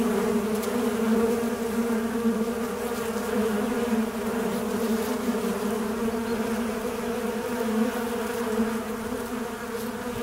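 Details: Fly buzzing as a continuous low, steady drone with layered humming tones. The level stays even throughout, with no other clear sounds.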